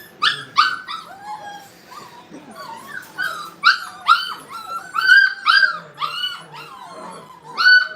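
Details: Brittany puppies at playtime in a training kennel give high, bouncing yips and whimpers in quick overlapping bursts, some bending upward then down, with short quiet gaps between flurries.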